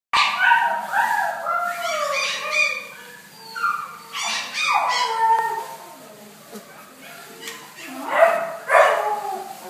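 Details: Blue Shar Pei dogs giving high, sliding whines and yelps, several overlapping calls falling in pitch, in bursts with short pauses between.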